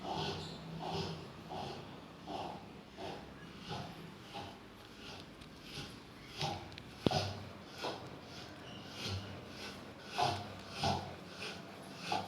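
A Rottweiler snores in a steady rhythm, each breath a soft, rasping snort.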